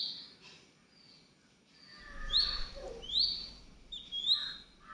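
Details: Rescued baby squirrel fed milk several times daily squeaks three times in sharp upward-sliding chirps, spaced about a second apart, over a low rumbling background and a few softer notes.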